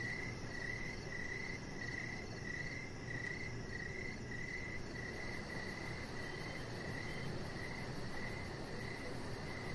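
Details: Outdoor evening cricket chorus by a deck: high chirps in close, almost continuous runs, trilling steadily over a low rumbling background.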